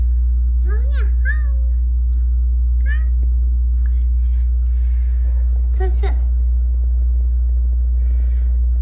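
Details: Weak little kittens, rescued as they huddled together beside a road home from a family funeral, make a couple of paired high mews early on and another sharp cry later, with quieter stretches and a persistent low hum.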